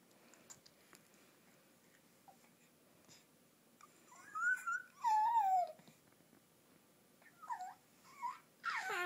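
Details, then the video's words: Dog making a new strange monkey-like sound indoors: short squeaky whines sliding up and down, a few seconds apart, in a quiet small room. "makes a strange monkey sound"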